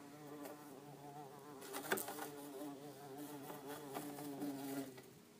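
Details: Orange-belted and yellow-faced bumblebees, two together inside an insect tank, giving a steady low hum with rich stacked overtones that wavers slightly in pitch, louder in the middle with a sharp tap near two seconds.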